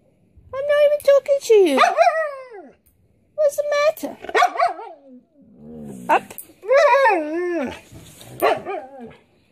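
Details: A pet Siberian Husky 'talks' in a series of loud, wavering moans and yowls that swoop up and down in pitch, broken by short gaps, sounding like grumbling complaint.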